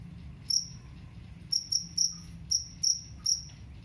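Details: Jangkrik kalung cricket whose call is used to drive away rats: sparse, sharp high chirps, a lone one then a loose series spaced about a third of a second apart, with soft low hum behind.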